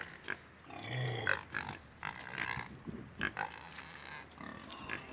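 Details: Two pot-bellied pigs with two Mangalica pigs, giving soft, low grunts and short snorts at irregular intervals, fairly quiet, with a faint higher squeal early on.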